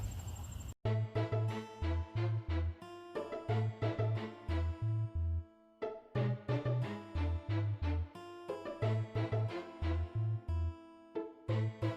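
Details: Upbeat electronic music with a bouncing bass line and bright keyboard chords, steady beat throughout, no animal voices heard.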